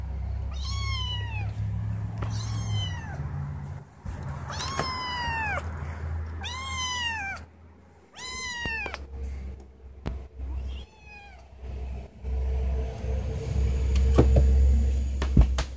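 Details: Indoor female cat crying repeatedly because she wants to go outside; a run of clear, drawn-out meows that rise and then fall, about six in quick bursts, followed by quieter rustling and a low background hum.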